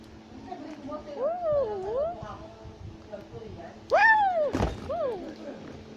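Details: Tufted capuchin, also called black-capped capuchin, climbing a tree in South America. A few wavering, whistle-like calls that rise and fall, with a loud rising squeal near the fourth second over a low background hum.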